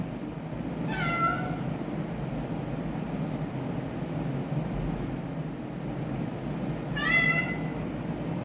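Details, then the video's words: Indoor orange domestic cat, an adopted stray, giving two strained, harmonic-rich meows about six seconds apart, each rising then falling, with a steady low room hum beneath. "Why Bumblebee Is Making Weird Noises?"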